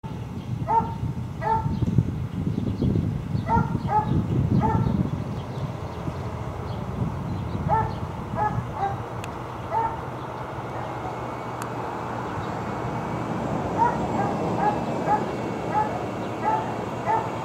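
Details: Tied dogs barking near a dump on Wright Street, sharp barks coming in quick clusters of two and three, over a heavy low rumble that dominates the first five seconds before easing into steady background noise.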